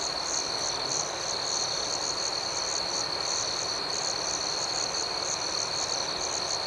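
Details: Dense nighttime cricket chorus, a steady piercing trill overlaid with rhythmic repeated chirps from several insects and an even background hiss.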